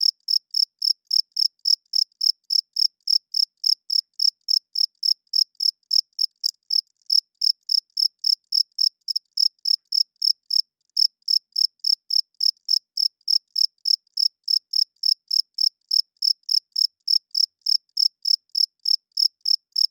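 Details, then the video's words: Cricket heard loudly at night, the male chirping with its wings to court females and mark territory: continuous sharp, high trills pulsing about three and a half times per second, briefly broken twice, over total silence. "Cricket Chirping Sounds - Cricket klinkt 's nachts luid"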